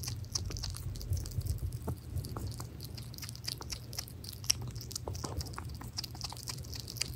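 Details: Hedgehog called Pirozhok eating minced meat at home; soft moist lip-smacking and tiny clicks, irregular and continuous, with a persistent low hum in the room.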